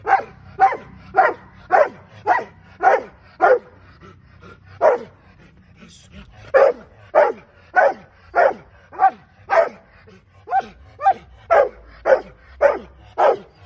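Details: Barking from a Rottweiler at training, a long run of about twenty-four sharp, powerful barks at a quick steady pace, broken by one brief pause near the middle, low background hum.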